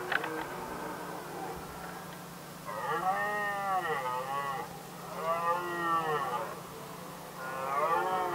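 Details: Rutting red deer in Västmanland, Sweden, 2010, stags settling the matter of the hinds: three wavering, moaning roars that rise and fall in pitch, repeated about every two and a half seconds over a faint steady hum.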